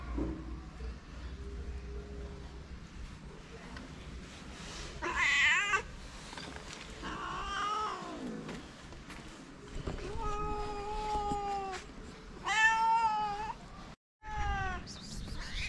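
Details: Homeless calico cats on a street in Morocco gather around people, meowing for affection and food; scattered drawn-out meows, some wavering and some falling, with quieter low mews, a brief silence and background street hum.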